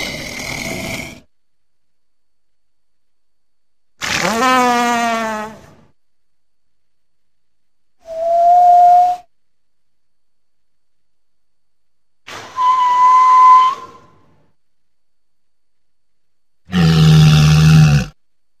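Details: Walrus producing a varied series of separate calls: a short harsh blast, a wavering rising call with stepped overtones, a clear pure whistle, a sliding tonal note, then a deep rough bellow, each split by silence.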